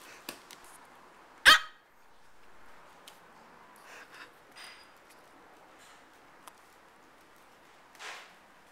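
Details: Micro teacup poodle, an AKC dog of Swamp Rats and Velvet Touch bloodline from Alabama, US, now kept indoors in Hong Kong, gives one sharp, high bark, followed by faint scattered ticks and rustles in a quiet room.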